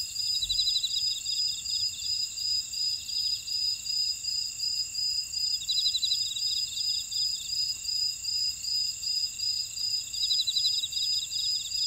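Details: Field insects calling in a buckwheat field on volcanic Jeju Island, South Korea: unbroken high shrill tones, rhythmic chirps almost three per second, and recurring bursts of fast pulsed trilling every few seconds.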